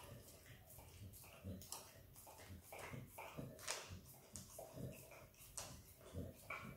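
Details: Izzy the Kelpie x Border Collie puppy eats peanut butter, producing steady wet licking smacks roughly every half second, with soft mouth noises between them.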